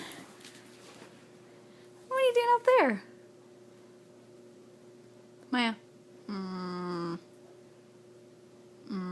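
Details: Mya, a female miniature Dachshund, speaks her mind indoors during a game of fetch with an extra small tennis ball. Short harmonic whining yelps, some sliding downward, come in three bursts around soft human talk.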